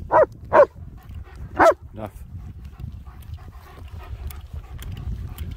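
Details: Two German Shepherd dogs out enjoying the hills near Hawick, recorded on a phone: three short harsh barks in quick succession, two close together then one a second later, over low wind rumble, followed by faint background sounds.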